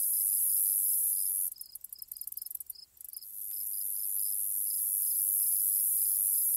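Grasshoppers fill the air with a thin, high-pitched sizzle that runs steadily throughout. Partway through, a quick run of sharp, ticking chirps stands out before the even hiss returns.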